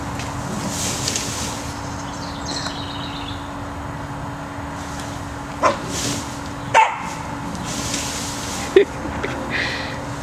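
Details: Max, a pet cocker spaniel scared to enter a tunnel, works at getting his treats out of it; three short, sharp barks spaced about a second apart in the second half, over a steady low electrical hum and faint background noise.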